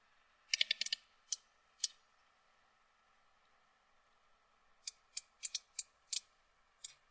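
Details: Coda clicks of a sperm whale, a toothed whale, played back: a tight burst of rapid clicks, two single ticks, a long pause, then another rhythmic run of sharp clicks.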